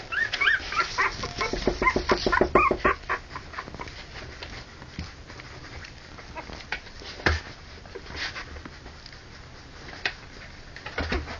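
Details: Harlequin poodle puppies at three weeks old, born October 28, 2009: a burst of rising, wavering whines and yelps crowds the first three seconds, then sparser single squeaks and soft scuffling follow.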